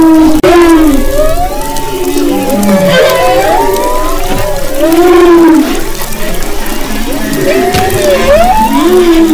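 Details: Humpback whales off the west coast of Maui, recorded February 22–24, 2011: loud, continuous song of swooping, wavering moans and rising whistled upsweeps in overlapping phrases, underlaid by deeper groans.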